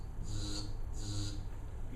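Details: Mottled grasshopper song played back in a seminar as a training example for an automatic recognition system: two short, hissing, high-pitched bursts about half a second long, over low room hum.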